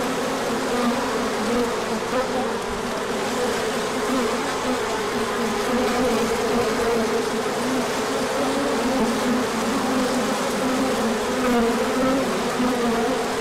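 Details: A large orientation flight of bees in spring sunshine after cold days, March 2024; an unbroken, thick humming drone from a crowd of flying bees, with individual buzzes rising and falling within the mass.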